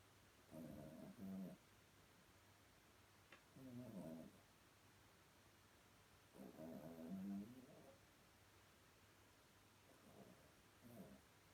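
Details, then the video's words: Small Chihuahua dreaming deeply and snoring softly: low, rough snoring breaths in bursts of about a second, four bursts in under twelve seconds, with quiet pauses and a faint hum underneath. "Kleiner Chihuahua träumt ganz fest und schnarcht leise"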